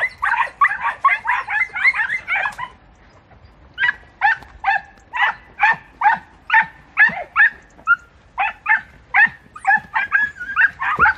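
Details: Dense, overlapping barking from podencos hunting in bramble in Campo Arañuelo, likely several dogs giving tongue together; a fast burst, a brief pause, then sustained rapid barking at over two per second.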